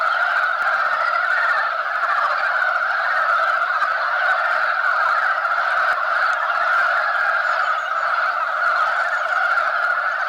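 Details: Male mountain frogs massed at a spawning site, fighting over females; a thick, unbroken wall of overlapping croaks at even loudness throughout, with no pauses and no other clear sounds.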